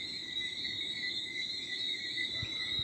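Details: Night crickets at 4 a.m. in rural Martinique, 11 December 2023: an unbroken, high, ringing chorus of chirps holding steady throughout, with a soft breeze and a couple of low thuds near the end.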